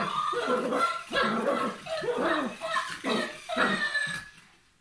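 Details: Papillon dog at play, giving a run of short, curving whiny yips and growly bursts with bent, wavering tones, closely spaced over about four seconds before fading out.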